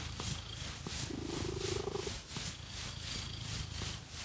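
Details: Cat being scratched with fake nails purrs in a low, even rumble, with one short humming tone rising slightly near the start, and light scratching rustles and faint clicks in the background.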